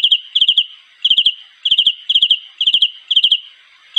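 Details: A cricket calling for a mate with crisp, high, tinkling chirps, each a quick cluster of three or four pulses, spaced about half a second apart in a quiet setting.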